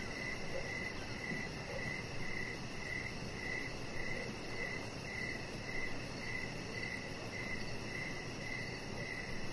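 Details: Crickets sing outdoors in the evening beside a lit deck where a chihuahua rests. Clear, evenly spaced shrill chirps come about twice per second, with a faster, thin high trill above and a broad low hum beneath.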